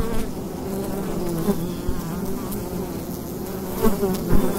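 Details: At a wild bee hive's entrance in fall daylight, a constant low buzzing hum with shifting overtone bands and a few close, louder passes near the end.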